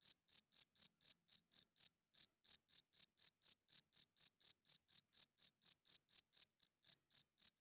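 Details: Cricket chirping loudly at night, males calling to attract females and hold territory; clean, high-pitched pulsed chirps repeated steadily about four times a second with a faint brief hitch near the end, no other sounds.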